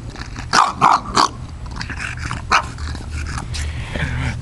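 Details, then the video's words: Six-month-old bulldog protesting about coming back inside: three loud short barks in quick succession, then a fourth bark after a pause, with a person coaxing in the background. "Giving me crap about coming back inside"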